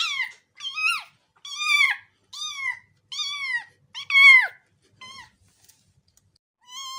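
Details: A kitten gives a run of high, thin meows, each rising then dropping, in quick uneven succession.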